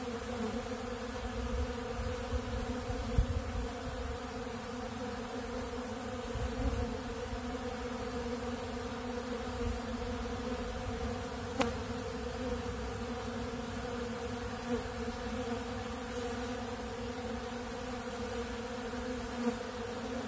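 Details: Many honeybees crowding a large blue pollen feeder while feeding on ultra bee pollen; a dense continuous hum with strong low rumble and scattered faint taps throughout.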